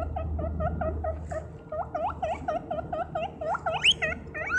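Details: Running guinea pig making loud squeaking noises: a quick train of short chirping squeaks that grows into louder, sharply rising whistles toward the end. A steady faint hum and low rumble sit behind.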